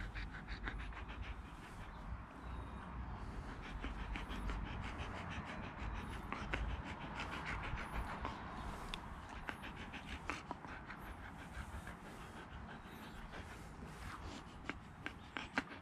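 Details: Siberian Husky panting steadily, a fast breathy rhythm of about two pants per second with soft broadband puffs and low background rumble throughout.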